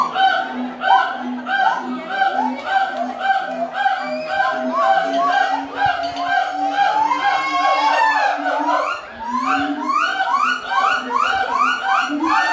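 A gibbon gives a fast series of clear, musical hoots, each note bending slightly in pitch. Midway the calls swell into long rising whoops and then break back into quick, climbing notes.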